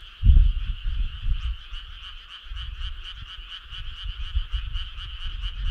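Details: Frogs calling in chorus on a summer night along a country road: a steady pulsing trill sits in a high band, rapid regular beats throughout, with deep irregular thumping croaks underneath, loudest near the start.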